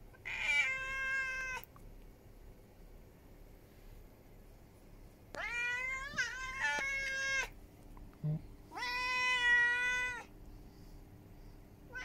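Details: A ginger cat that appeared at a home one July 2021 evening demands help with three loud, rich meows, the second rising sharply then holding, spaced by silent gaps and a soft thud.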